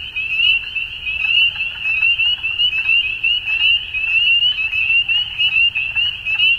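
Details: A dusk frog chorus, a steady high-pitched trill that swells and dips in rapid pulses, with many overlapping callers and softer lower notes beneath.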